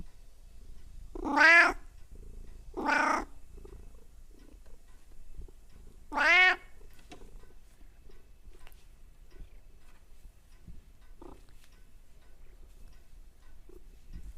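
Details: Pet cat producing strange vocalisations: two loud wailing meows close together, then a third after a short pause, followed by near silence with faint small clicks and rustles.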